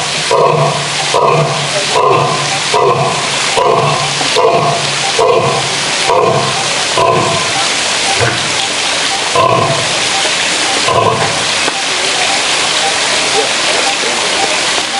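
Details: Male lion in a zoo producing a rapid series of short, grunting roar pulses, about a dozen evenly spaced in the first half, then fading into broadband noise with only scattered grunts.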